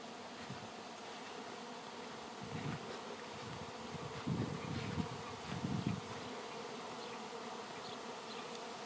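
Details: Honey bee swarm in flight, the air thick with bees before they cluster on a branch for relocation; deep humming buzz rises in several loud surges around the middle, then settles back to a soft steady drone.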